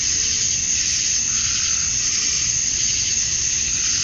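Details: Summer-night cicada chorus at dusk in Georgia, USA, males calling to draw females: a steady, sizzling high-pitched drone that never pauses, with a thin constant whine on top and soft low background noise.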